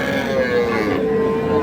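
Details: Cattle at the Ambari market in Dinajpur district, Bangladesh, 19 January 2026, where Sahiwal, Sindhi and local dairy cows stand with calves: one sustained, even moo filling the moment, with market murmur behind.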